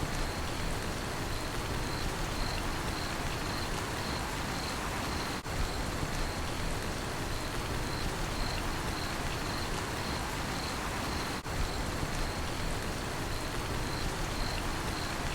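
A cricket's high, steady pulsed chirping runs through heavy, continuous rainfall.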